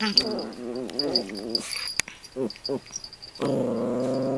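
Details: Toy Poodles Toffee and her younger 'sister' Komugi, two pet dogs playing together: wavering, harmonic growls for over a second, then two short clipped bursts, then a steady, even growl to the end.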